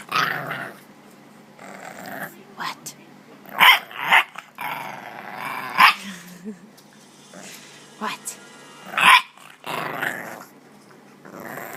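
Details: Bulldog puppy growling and barking: low rough growls interrupted by several sharp barks and yips, irregularly spaced, with a person speaking between them.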